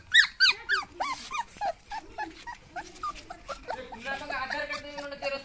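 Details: Fawn-coloured Labrador Retriever puppies in Odisha, India, giving rapid high-pitched yelps and whines that arch up and down in quick bursts, several overlapping, with a busier chorus of squeaks near the end.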